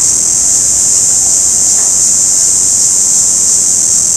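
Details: Shrill, sustained buzzing of an orange cicada, a flat unbroken hiss throughout the short stretch.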